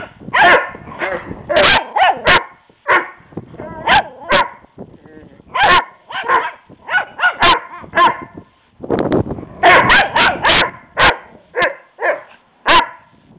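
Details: Playful barking from Teddy, a little Shih Tzu pup, aimed at the bigger dog next door; rapid high-pitched yaps in clusters over thirteen seconds, some harsher and noisier, with short quiet gaps between volleys.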